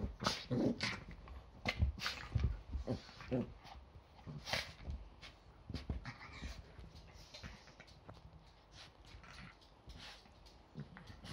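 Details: Yorkshire Terriers in their usual morning play fight before breakfast on a Sunday: short growls, squeaky whimpers and a few yaps come in scattered bursts, with scrabbling paws and rustling throughout.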